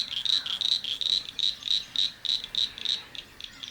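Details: A cricket frog, filmed calling among duckweed in a private conservation sanctuary during bird nesting season, gives a quick series of sharp, high clicks, about three a second, like pebbles tapped together, over a quiet background.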